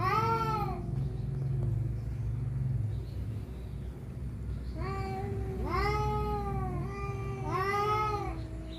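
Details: Rival cats fighting over a female trade a rapid string of moaning, wavering yowls, several overlapping in pitch at the end, over a heavy low rumble of background noise.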